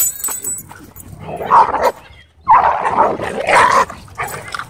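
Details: Belgian Shepherd Malinois at a dog park facing a group of other dogs: loud, harsh bark bursts in two clusters, the second longer and repeated, with brief laughter and human voices in the background.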